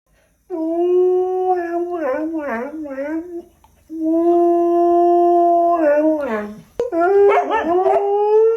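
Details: Husky howling in two long, drawn-out bouts, each holding a steady tone, then breaking into wavering, yodel-like wobbles before sliding down; the second bout ends with a rising howl after a short break.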